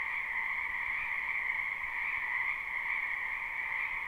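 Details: Live spring recording of many frogs in a wetland behind a house, no looping: a constant, dense croaking chorus of high and mid trills blending into one unbroken buzzing sound.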